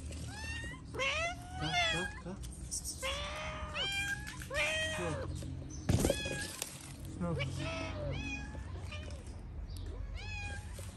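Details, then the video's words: Stray cats in Morocco meowing to beg for food, several cats calling; repeated drawn-out meows, some rising then falling, others short and bent, following one another every second or two, with a man's brief speech and rustling in the background. "The cats heard a cat meowing for food, so they all came."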